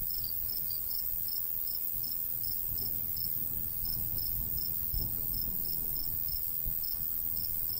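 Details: Natural cricket sounds from a summertime countryside wheat field with light breeze: a steady train of brief high chirps, roughly two to three per second, over gentle low rumbling wind.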